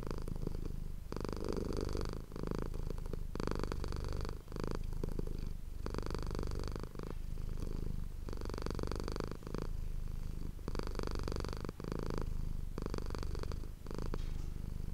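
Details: Domestic cat named Manis purring, recorded close-up on an ASMR microphone indoors: a steady low rumbling purr runs throughout, broken every second or so by bursts of brighter broadband rustling.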